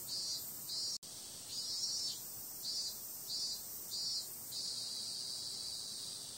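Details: Shrill cicada chorus on a summer night, rhythmic buzzy swells repeating about twice a second over a constant high hiss, broken by a brief silent cut near the start.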